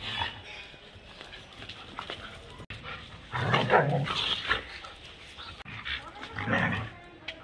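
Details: German Shepherd dog playing in Birgunj, giving two short, rough, broadband barks or growls about three seconds apart over a low background hum, with faint voices.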